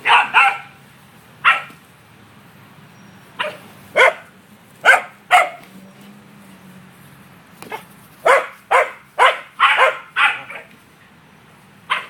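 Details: Male corgi using his herding instincts on a runaway yellow ball, barking in short sharp bursts, scattered at first, then crowding into a quick irregular volley near the end, with a steady low hum behind.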